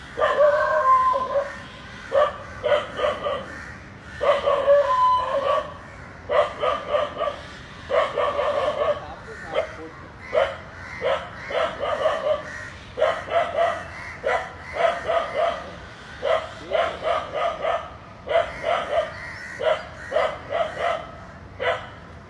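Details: Dog barking at two snakes wrapped around each other; long rapid series of barks in quick clusters, nearly continuous, with a brief whine near the start.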